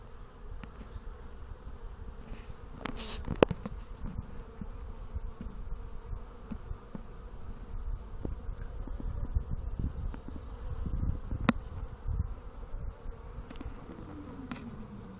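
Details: Honey bees busy around a hive on a nice day, recorded close up on a phone: a steady low droning hum fills the scene, broken by clicks and knocks from handling nearby.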